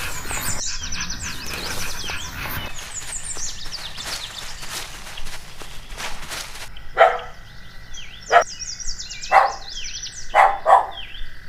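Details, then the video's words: Puppy playing outdoors on green grass gives a series of five or six short, sharp barks about a second apart in the second half. Earlier there is rustling, and small birds chirp in the background throughout. "Dog Barking Sounds"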